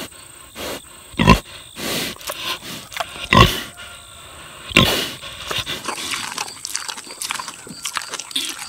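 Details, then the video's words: Six-year-old boar pig savoring juicy tomatoes, giving several short broadband grunts at irregular intervals of one to two seconds, mixed with wet smacking and chewing clicks that grow busier toward the end. "Boar Pig Eats Tomatoes - ASMR / Smacking Sounds"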